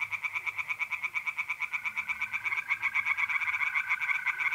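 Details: Pond chorus of tree frogs on an April night in north-east Italy, fast rhythmic pulsing croaks overlapping, a mole cricket's even trill joining partway through.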